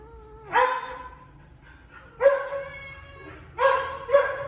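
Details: Two baby kittens fighting each other over food; harsh, bursting growls and hisses in four short outbursts, each with a steady tonal core and a noisy upper edge, separated by quiet gaps.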